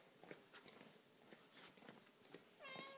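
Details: Somali cat indoors: scattered rustling and tapping noises, then a brief, clear meow that starts high and drops in pitch near the end.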